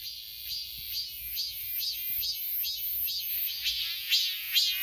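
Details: A robust cicada (Hyalessa fuscata) on a persimmon tree sings a loud, buzzy, rising phrase repeated a little over twice a second, over a steady high-pitched hiss.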